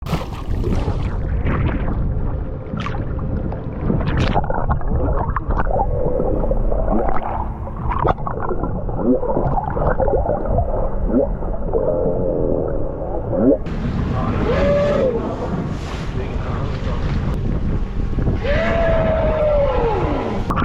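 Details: Young whale entangled in a shark net off Mermaid Beach on the Gold Coast, Queensland, Australia, on a Monday evening early in the migration season, calling in distress; loud gurgling, bubbling water noise with brief arching tonal cries near the end.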